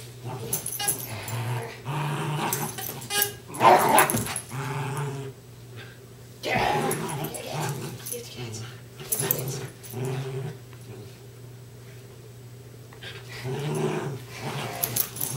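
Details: Darby and Riley, two Westies, tussle in a game of tug of war, giving low growls and a few barks in uneven bursts, with a person talking over them and background music.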